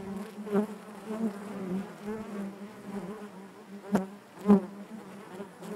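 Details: Honey bees buzzing inside their hive: a steady low drone with harmonic bands, swelling and fading, with brief louder buzzes as individual bees pass close, around half a second, four seconds and four and a half seconds.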